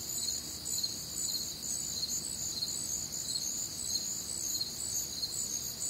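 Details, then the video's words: On a warm, humid summer night in the Midwest, many crickets keep up a shrill pulsing trill, beating roughly twice a second, with quiet low-frequency background noise. "Night Time Cricket Sounds"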